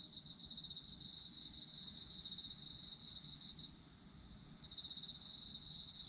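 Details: Autumn insect chorus in Japan meant for sleep: high rapid chirping trills overlapping, one caller pausing briefly near the end before resuming, with a constant shrill ringing tone beneath.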